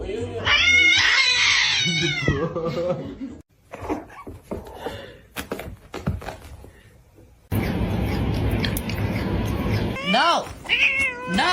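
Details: Domestic cat meowing indoors: a loud wavering meow at the start, then people talking and household noise, and further rising-falling meows near the end.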